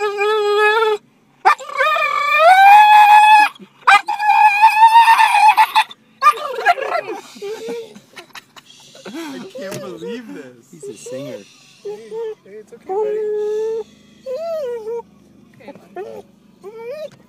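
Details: An English Springer Spaniel, excited by a squirrel, gives strange, drawn-out, wavering barks that rise and bend like yodels.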